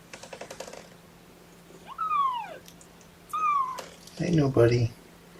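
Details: Young kittens of Mama Seraphina's litter protest at being pottied before weighing: two clear, high arched mews about a second apart, each rising then falling, followed by a person talking.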